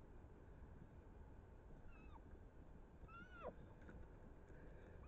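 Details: Roe deer, a buck and doe chasing each other, recorded 7 August 2024: squeaky piping calls with a short arched rise and downward slide, one near two seconds and a louder one just past three seconds, over steady low rumble.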